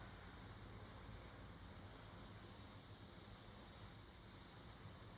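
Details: Bell cricket giving pure, bell-like high ringing pulses in four bursts, some short and some longer, spaced about one to one and a half seconds apart over quiet background noise.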